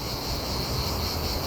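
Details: A cicada chirps near Gelendzhik on the Black Sea coast, by a derelict narrow-gauge railway at a disused marl quarry on the way to Mount Neksis: a steady, high, shimmering buzz over low rumbling background noise.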